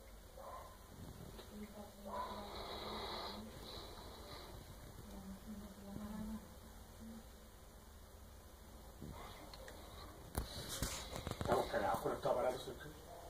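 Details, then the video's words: A pet dog sleeping peacefully indoors, snoring: low droning breaths with a breathy rasp, two drawn-out snores a few seconds apart, then clicks and rustling near the end. "Mi perro ronca cuando duerme"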